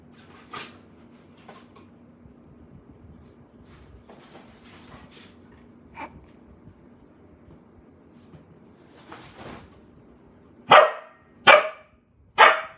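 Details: Samoyed puppy named Daisy, hyper and playing at bedtime indoors: quiet rustling and soft thumps, then three sharp harmonic barks in quick succession near the end, about one every second.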